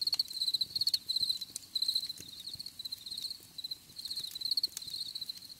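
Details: Cricket chirping in quick high pulsed bursts, loud at first and then softer, interrupted by several sharp clicking sounds.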